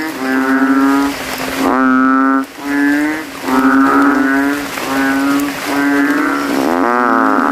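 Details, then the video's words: Rival banded bullfrogs contest loudness in a cemetery puddle after nightfall rain, throats ballooning: low, resonant lowing calls, long sustained notes with brief gaps, neighbouring frogs answering continuously. "GENANGAN AIR MENJADI AJANG LOMBA KODOK INI BERTARUNG SUARA KERAS"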